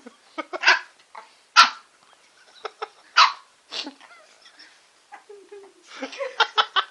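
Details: A female Shih Tzu called Bubbles, offered a lollipop at home, lets out scattered sharp yipping barks at uneven intervals while a person murmurs and laughs nearby.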